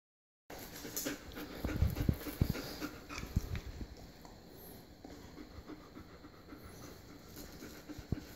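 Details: German Shepherd dog panting: fast, breathy, noisy puffs, irregular but nearly continuous. Louder in the first half, then softer, with a few sharper clicks and little else in the background.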